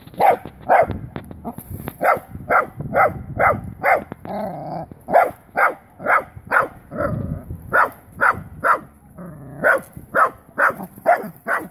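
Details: A wire-haired dachshund facing a live wild boar for the first time, barking hard and fast: clipped barks roughly every half second, briefly broken around the middle, then resuming in a regular insistent series.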